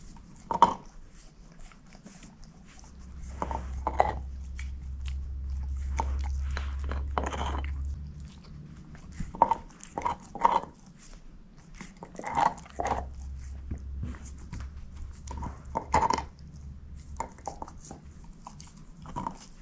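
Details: A female shepherd mix named Moose chews a bone: sharp crunching bites recur at irregular intervals over a steady low hum that comes and goes in the background.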